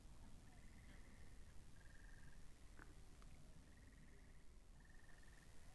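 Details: Frogs at a pond, recorded binaurally. Faint, steady pulsed trills sit at a single mid-high pitch and repeat in bursts of about a second, over a strong low rumbling background.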